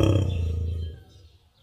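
A muskox gives a deep, rumbling bellow that fades away within a second.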